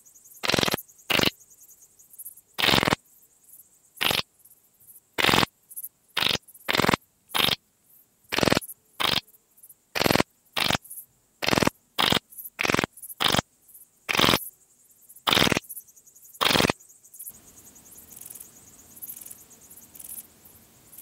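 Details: Pachytrachis gracilis, the graceful bush-cricket, recorded at Vela Ucka, Croatia, 30 July 2023. A long run of brief scratchy chirps comes at irregular spacing for about seventeen seconds, then gives way to soft hiss.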